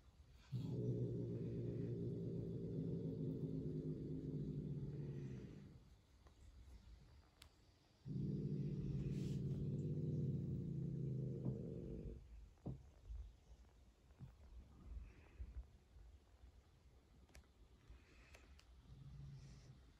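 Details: Angry female Turkish Van cat hissing and growling at her roommate: two long, low, rumbling growls of about five and four seconds, separated by a pause, followed by quieter scattered rustles and soft noises.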